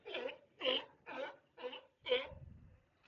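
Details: At Monterey harbor on August 22, 2024, after hours, sea lions, including a big male, give a run of harsh, honking barks, each about a third of a second, in quick succession.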